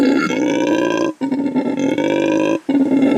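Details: Howler monkey giving a loud, rasping roar in three sustained bursts, each breaking off briefly for a breath, with a droning, throaty tone throughout; such calls carry for several kilometres through forest.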